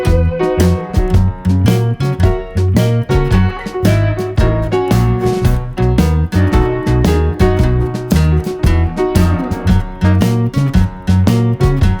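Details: Loud upbeat jazzy guitar music with a steady plucked rhythm and bass throughout; no animal voice.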